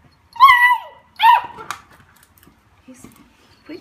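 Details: Cooper the beagle, playing with his recycled Coke bottle indoors, gives two loud, ringing harmonic barks that fall away at the end, followed by faint rustling and brief speech from a person nearby.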